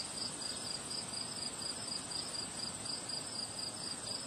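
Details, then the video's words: Crickets chirping on a windy day among flowers, a steady high pulsed trill repeating several times a second over broadband wind rush and a faint continuous high whine. "Relaxing Sound of Crickets Chirping on a Windy Day"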